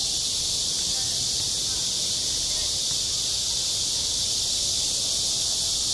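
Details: Shrill, unbroken cicada chorus at a school playground in high summer, a dense high-pitched hiss with no other clear sounds.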